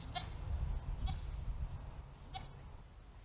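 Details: Two Nigerian Dwarf goat does kept in a backyard over summer give three brief, nasal bleats spaced about a second apart over a low rumbling background.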